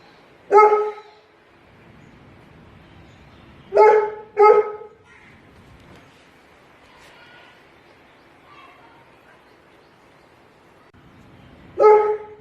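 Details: Bullmastiff dog barking, recorded at 96kHz 24 bit: four deep, harmonic single barks, one alone, then a close pair, then a long pause before the last, with quiet room noise between.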